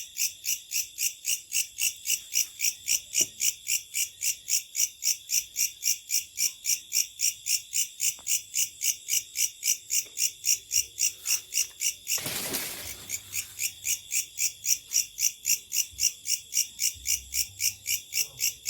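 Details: Locusts calling at night: a continuous high, rhythmic buzzing pulsing near four times a second, briefly covered by a short rushing noise burst midway before the steady throb resumes.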